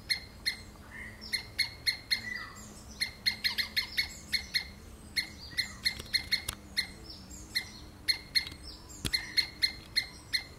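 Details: A squirrel screams in a rapid series of short, piercing chips, roughly three per second, some bursts doubled or clustered, over a faint low hum and background hiss.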